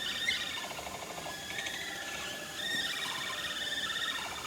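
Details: Capybaras of a herd visiting breeding male Toku at Nagasaki Bio Park, all singing in unison with Toku also singing; overlapping buzzy, vibrating notes glide down and level off, in dense continuous chorus.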